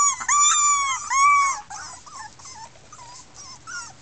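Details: Miniature Pinscher puppies, a 2013 litter of six red girls, protesting loudly: a few long, strong, bending whines at the start give way to softer, broken whimpers and short squeaks.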